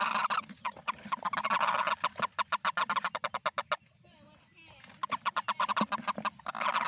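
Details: Toad calls during the rainy season: a long train of rapid, evenly spaced honking pulses breaks off into a short, quieter gap, then the pulsed calling resumes strongly.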